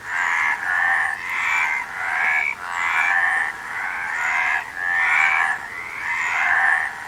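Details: Frogs croaking together: raspy, slightly rising buzzes lasting about a second each, run closely one after another with small breaks.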